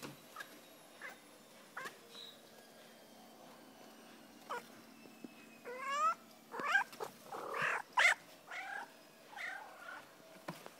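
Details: Adopted female cat chirping at a window, former shelter cat; short rising and falling chirrups and trilled meows cluster in the second half, over steady hum of a running washing machine.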